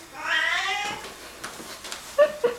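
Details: Singapura cat, indoors, protesting at sneezing with a single rising-then-falling meow lasting under a second, followed by faint clicks and brief human sounds.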